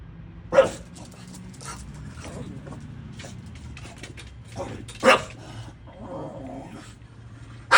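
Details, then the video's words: Barking at the garbage truck, an English Bulldog gives three loud, abrupt barks spaced several seconds apart, with quieter sounds and low rumble between them. "Rosie barking at the garage truck"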